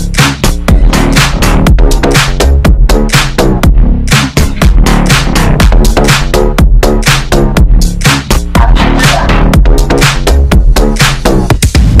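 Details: Loud electronic dance music with a steady thumping beat fills the whole recording, and no animal voice can be picked out.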